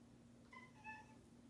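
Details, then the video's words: Pet cat indoors making a very faint whisper meow in two soft tonal parts, the second slightly lower and longer, over a steady low hum of room noise. "cat whisper-meows"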